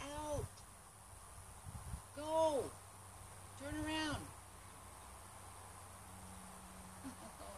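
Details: A wild gray fox caught in a small cage in Oregon, USA, utters three short, arching, tonal whines with rich overtones, roughly two seconds apart, then goes quiet against a faint steady hum and hiss.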